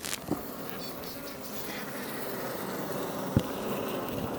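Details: Iberian honey bees outside a Langstroth hive near Roquetes, south Tarragona, Catalonia, Spain, building comb; a steady low droning hum of many bees with a few brief knocks and clicks.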